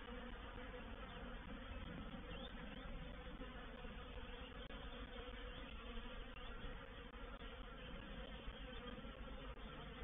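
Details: Many honey bees of a reproductive swarm settling into a swarm trap, 04/07/21: an unbroken, dense buzzing roar, evenly loud for the whole ten seconds with a deep humming undertone.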